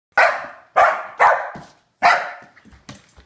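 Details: Hyper Saint Bernard puppy barking: four sharp, loud barks in quick succession, the first three close together, then a softer trailing yelp, with a person's brief exclamation afterward.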